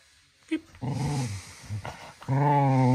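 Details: Manfred the little cocker spaniel at lively 10 pm playtime: a short catch of breath, then rumbling low growls that swell into a steady, louder, harmonic growl at the end.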